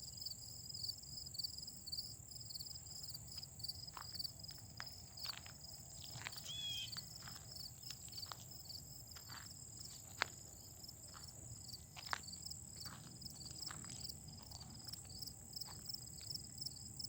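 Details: Autumn insects calling in a steady high chorus, with clicks and knocks scattered throughout and a faint low rumble beneath.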